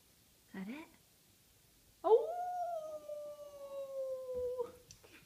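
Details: Boxer dog howling indoors; a short low yelp, then one long sustained howl, steady and slightly falling for nearly three seconds before breaking off.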